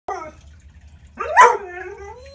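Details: Six-month-old Bluetick Coonhound puppy howling in protest at the stairs: a short falling yelp, then a loud drawn-out howl that rises and slides downward. Afterward a person urges it to come down the stairs.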